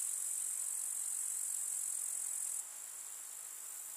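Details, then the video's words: A meadow chorus of grasshoppers on a summer day in the village countryside: an unbroken, hissing high-pitched trill that drops suddenly to a quieter level after two and a half seconds. "КУЗНЕЧИКИ. Слушать звуки летнего луга"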